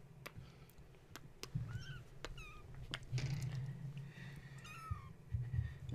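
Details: Kittens of the cat Gaia, wound up at bedtime indoors by a space heater being plugged in; a few short high mews, one every second or so, amid clicks, bumps and a low rumbling hum.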